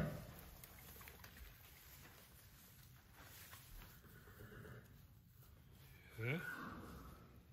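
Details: Sanne, a newborn Friesian filly born February 26, 2021, neighing for the first time within her first hour: after quiet rustling, one short rising whinny breaks out near the end, with soft Dutch voices nearby.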